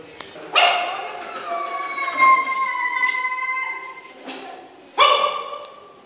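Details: Yorkshire Terrier facing a mirror for the first time: a sharp bark, then a long, steady, tonal whining howl lasting about two seconds, a short yelp, and another loud bark at the end.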